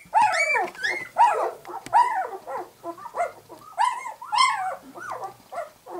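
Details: Two-week-old White English Cream Golden Retriever puppies, eyes just opening, make loud whining squeals that bend up and fall away, several overlapping, nearly continuous across a few seconds.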